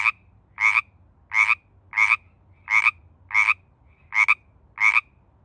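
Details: A Pacific tree frog calling during mating season, eight clear two-part ribbit notes spaced roughly every 0.7 seconds, bright and raspy, with a quiet background.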